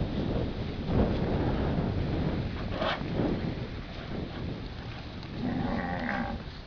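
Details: A heifer tangled in a tree gives a short, harmonic moo near the end, after a long stretch of heavy rumbling, wind-like noise.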